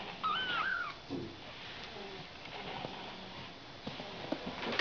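A Ragdoll kitten gives one high, thin mew that rises and falls, followed by faint rustling.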